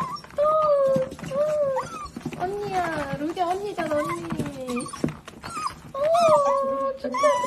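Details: Cavalier King Charles Spaniel in a compilation of cute pet moments, giving drawn-out, wavering howl-like whines that rise and fall, in repeated bursts across several seconds, while a woman talks to the dog in Korean indoors.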